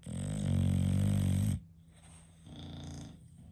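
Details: English Bulldog snoring indoors, one long loud buzzing, rattling snore lasting about a second and a half, then a quieter softer breath with a faint hum in the room.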